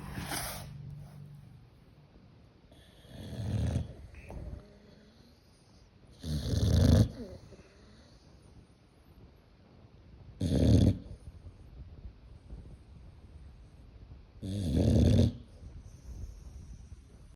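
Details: A sleeping German Boxer named Tyson snores, four loud rasping snores about every four seconds with quiet breathing between them.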